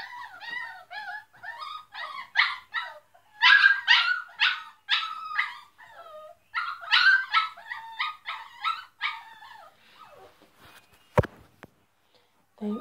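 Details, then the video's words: Several dogs barking very loudly, a chorus of high, tonal yelps and howl-like cries overlapping in dense bursts for about ten seconds, then thinning out, with a single sharp click near the end. "They are very barking loud"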